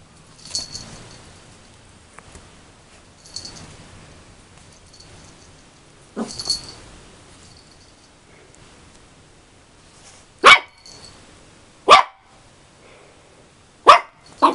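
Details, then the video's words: A 13-week-old male puppy barking at himself in a mirror: soft shuffling and scrabbling early on, then three short, sharp, high barks about one to two seconds apart in the latter half. "barking at himself in the mirror - 13 weeks old"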